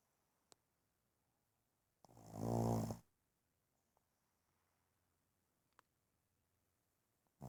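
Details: A sleeping one-year-old Boston Terrier lets out a single heavy snore, a coarse rattling breath with a low buzzing tone, amid quiet and faint clicks, with another snore just beginning at the end.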